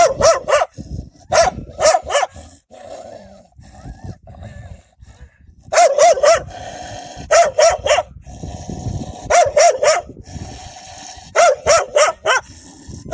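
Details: A group of wild dogs fiercely protecting their young, barking loudly and frighteningly in repeated pairs and triplets of sharp, ringing barks, with brief gaps between bursts and a steady low noise behind.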